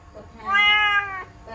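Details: Pet kitten at home, stuck inside a laundry basket, gives one steady, slightly arched meow lasting under a second, clear and tonal with rich overtones, in a quiet indoor room.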